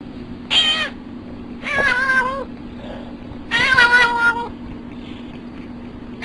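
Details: Cat making funny sounds, three drawn-out meows with wavering harmonics, each lasting about a second, separated by short quiet gaps over a steady background hum.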